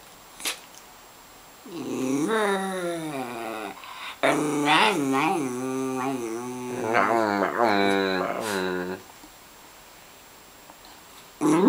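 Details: Grumpy Miniature Schnauzer in the early morning, displeased at being woken, giving a series of warbling, rising-and-falling moaning grumbles in several connected bursts over about seven seconds, with quiet room sound before and after and a person prompting it to say mama.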